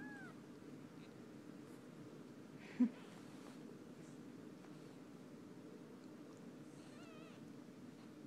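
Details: Young kittens, four days old, being groomed by mother cats; a brief curved mew opens, then a soft wavering, warbling cry near the end, all quiet against a constant low rumble.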